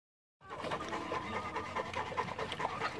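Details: South African Boerboel dog panting: quick, breathy rhythmic huffs repeating several times a second in a steady run, starting after a brief silence and continuing to the end.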